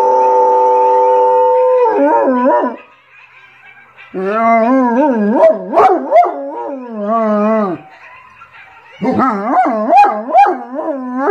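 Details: Dog howls in three bursts separated by short pauses, each a wavering, yodelling tone with rapid up-and-down pitch bends and rich overtones.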